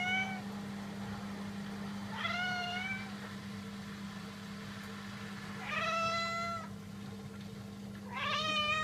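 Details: Domestic cats calling with four separate meows, each clear and tonal with a slight rise and fall, spaced a few seconds apart, over a constant low hum in a quiet room.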